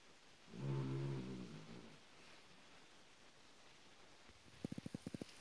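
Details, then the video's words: Benji, a three-year-old male Australian Silky Terrier mix rescued from a shelter in 2013, snores during a nap: one low, rumbling harmonic snore near the start, then quiet breathing, then a quick series of sharp clicks at the end. "My Dog Snoring the day away!"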